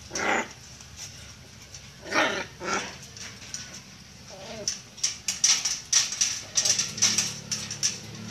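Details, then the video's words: Miniature Pinscher kept in a cage, calling because it wants to come out: a few short sharp bark bursts, a brief whine, then rapid rattling and clicking, likely from the cage, with faint background noise. "Miniature pinscher wants to come out of the cage"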